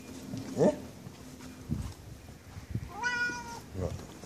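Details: Zlatan the cat, happy to see his owner back home, gives one clear harmonic meow, level then falling, between soft rustles and a faint chirp-like sound, in a quiet indoor space.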